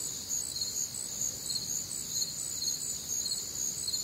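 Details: Crickets on a humid, warm Midwestern summer night, their high chirps beating in regular pulses near two per second, a thick layered chorus with a gentle low murmur of other nocturnal ambience.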